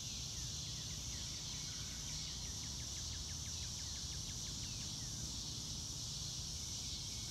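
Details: Crickets on a calm blue-sky day in open grassland, captured in real time: a steady shrill high band of insect trilling, brief chirping marks weaving underneath, over a noticeable low-frequency environmental hum.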